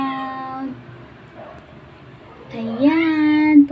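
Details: Two drawn-out meows from a Persian cat, separated by a quiet pause of nearly two seconds. The first is short and level. The second starts low, slides upward and holds a steady, tonal pitch, indoors.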